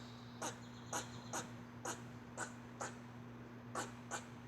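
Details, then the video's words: Squirrel making an odd noise: short, dry chirps repeated about twice a second in a steady series over a constant low electrical hum. "Squirrel making weird noise"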